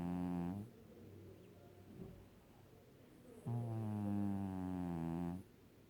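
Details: Five-year-old cat Kiiro dozing on its owner's stomach gives low, rich, buzzy snores: a short one ending early, a quiet gap, then a long steady drone of about two seconds.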